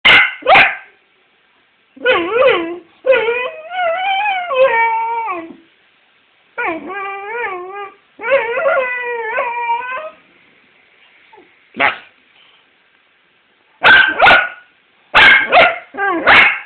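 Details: Pet dog howling in a singing manner: drawn-out wavering tonal howls with rich harmonics, in several phrases of two to four seconds, separated by pauses and ending with short sharp barks or yips.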